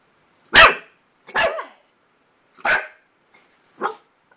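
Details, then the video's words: Puppy barking at his own reflection on seeing himself in a mirror for the first time: four sharp, separate barks spaced about a second apart, the last one softer. "Who's that puppy in the mirror?"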